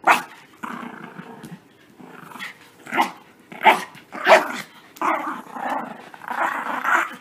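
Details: Puppies at play after a bath, growling and snarling in long rough rumbles broken by sharp yapping barks, busy and uneven, with scuffling between the louder bursts.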